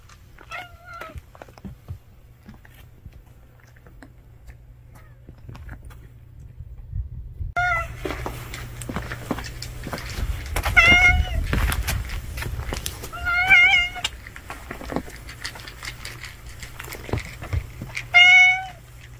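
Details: Stray cat family gathered at a meal: a faint meow early on, then several clear, harmonic meows around eight, eleven, thirteen and eighteen seconds, with clattering and rustling between them.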